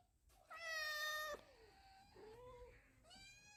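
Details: Domestic cat alert to sounds indoors, giving a loud harmonic meow held for about a second, then softer falling and rising mews, with a final short meow.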